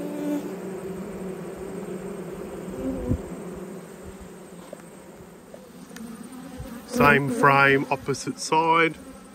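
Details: Honey bees drone at an open hive during an autumn inspection. A low, steady buzz fills the first seven seconds, then a person speaks over the humming.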